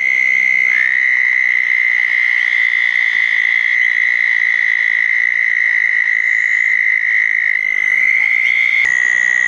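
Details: After a thunderstorm on June 10, 2014, southern toads call at small man-made ponds: a continuous high, ringing trill with slight pitch steps between overlapping callers, and a short sharp knock near the end.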